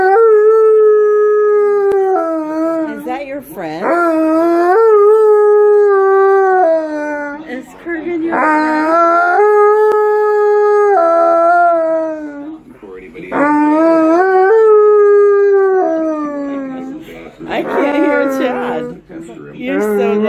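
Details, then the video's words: Howling along with other dogs on screen, an Alaskan Malamute gives a chain of long, wavering tonal howls, some sliding up and down, with short yips and breaks between phrases. "Malamute Watches YouTube Dogs"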